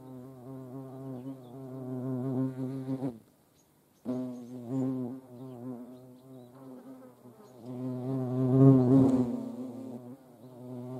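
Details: Flight hum of hornets visiting a feeding spot with ants at Dohr, Eifel: a steady low buzzing drone that stops for about a second and resumes, rising in loudness near the end as an insect passes close.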